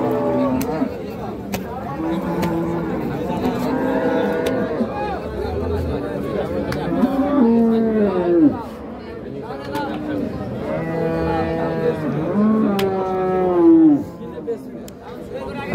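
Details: Improved-breed dairy cows at Raniganj cattle market, 17/11/25, lowing in a series of long, drawn-out moos with rich stacked harmonics, several rising then sagging in pitch, one after another over busy market background.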